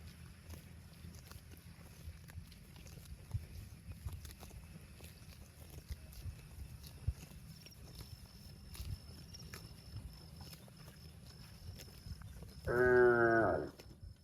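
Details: Cow mooing to call its extended family: one loud, harmonic moo lasting about a second near the end, falling slightly in pitch, after a long stretch of low rumbling background with scattered clicks and knocks.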